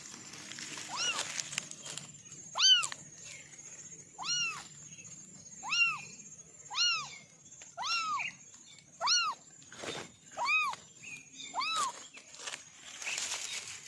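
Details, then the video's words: Orange kitten meowing persistently: about ten short, arched, high meows repeated roughly every second and a half, fairly evenly paced, with light clicks and rustling around them. "Kitten sound test"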